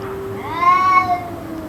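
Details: A single cat cry from a bout of continuous calling that ran around two hours, one arched, harmonic wail rising then easing off within under a second against a quiet hum.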